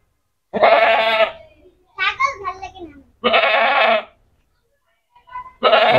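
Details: Goat brought to an unfamiliar place at a cattle market for Eid ul-Azha in Noakhali, calling a lot; three loud, harsh bleats of under a second each, separated by gaps, with children's voices in between.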